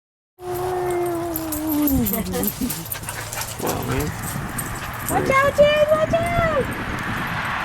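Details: Two Basenjis wrestling in play: a drawn-out tonal whine sliding downward, then scattered yips, and a later higher whine that rises and falls, over steady indoor background noise.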